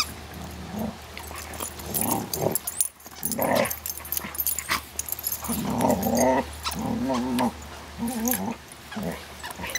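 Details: Bailey and Cooper play-fighting as Bela plays with a toy; low rumbling growls rise into repeated snarling bursts through the second half, with pauses, scrabbling paws and clicks between.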